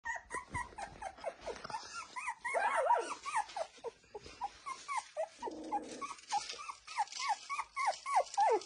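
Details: Lagotto Romagnolo puppies nineteen days after birth, eyes open and active, giving a steady stream of high, arched squeaky whimpers, several each second and overlapping, with one short lower nasal whine midway.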